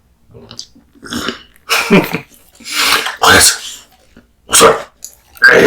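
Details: A male American Bully named Kotetsu eats raw meat and bones. Wet, crackling chews repeat about every second, building to heavy, loud crunches toward the end.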